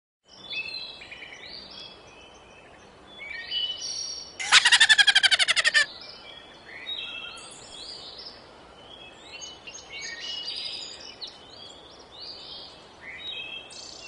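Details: Laughing prairie dog: a burst of about a dozen loud, rapid, harmonic yips lasting just over a second midway through, with scattered chirping birds in the background before and after.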